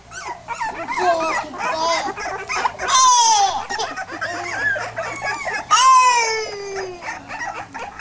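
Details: Pit bull puppies whining: high, harmonic whimpers and squeaks overlap, broken by two loud drawn-out cries that slide steadily downward in pitch, with softer yelps in between.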